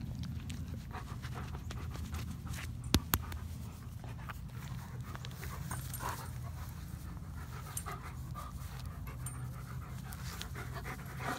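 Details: Once a starving, fearful stray, a black dog now living with two yellow Labs pants steadily in quick soft breaths over a low rumbling background, with occasional sharp knocks.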